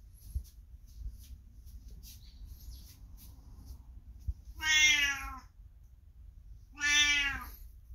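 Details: Elderly 22-year-old pet cat indoors, calling loudly from the next room as its owner passes by, like a morning greeting; two long, clear, slightly falling meows about two seconds apart over a quiet low room hum.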